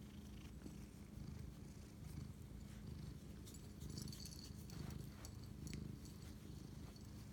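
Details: Late-night purring from a domestic cat bonding with its owner, 11:07 pm, 25 March 2019; a loud, coarse low rumble pulsing in slow breathing waves, with light crackles above.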